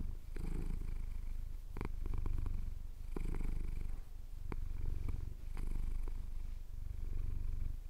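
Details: Cat purring as his chin is scratched during a Cotswold sunrise, captured on a Tascam DR-07X: low rumbling purr swelling and fading in roughly one-and-a-half-second breathing cycles, with occasional soft clicks.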